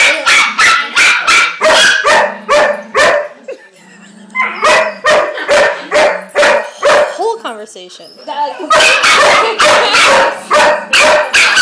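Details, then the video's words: A German Shepherd answers another dog during puppy class with rapid, punchy barks about twice a second. Low sustained whines sit underneath, and a quieter stretch with softer, wavering yips leads into renewed loud barking. "Chloe Has A Discussion With Max (the German Shepherd)"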